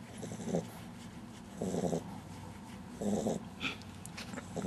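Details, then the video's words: Butters, a dog asleep on 27 June 2009, snores in grating, low rattling pulses about every one and a half seconds over a steady background hiss. "Butters Snoring"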